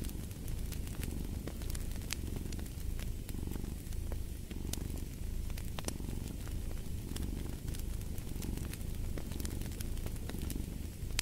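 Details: Cat purr mixed with a crackling fireplace, the low rumbling pulses softer and less distinct while frequent snapping and hissing fire crackles stand out across the recording.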